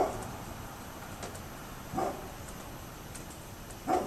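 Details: A neighbour's dog gives sparse, single barks roughly every two seconds, muffled and distant, with faint background hiss between them.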